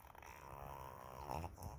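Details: A Shih Tzu, scolded by its owner on 7 July 2024, answers back with a low, wobbling, throaty grumble with a nasal, whiny edge that rises and falls over a couple of seconds, then wags its tail.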